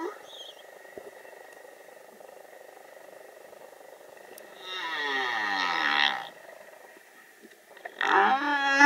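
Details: Young humpback whale singing underwater off Vava'u, Tonga: after a quiet stretch with a faint steady tone, a loud harsh rasping unit with a descending harmonic sweep, a pause, then another loud rich harmonic cry at the end.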